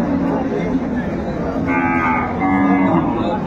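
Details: Cows with calves at Ambari cattle market in Dinajpur, 28 February 2025; short, hoarse lowing sounds under a constant hubbub of bargaining voices and market noise.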